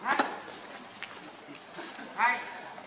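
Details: Baby monkey named Lucie crying: two short, harmonic, squealing cries, one at the start and a louder one near the end, over a steady background hum of insects.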